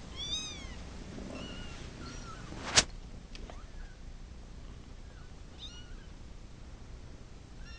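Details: Cat wanting to go to its mama gives a string of high, arched meows, some rising and falling. A sharp knock sounds midway, then more scattered softer mews against a faint background hum.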